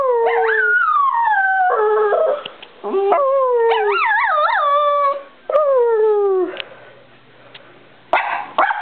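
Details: A Bichon Frise called Brie sings with falling howls and a wobbling, yodel-like trill in the middle, followed by a sliding whine and a quiet stretch with a faint low hum.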